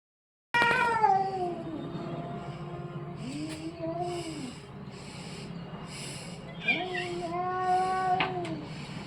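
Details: Orange and white domestic cat giving a run of drawn-out, wavering meows, the first long and falling, later ones arching up and down, with a few sharp clicks and background hum.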